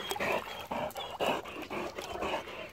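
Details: Great Dane, possibly named Otis, struggling and tired: a rapid run of breathy, broadband pants, about two per second, with short quiet gaps between puffs.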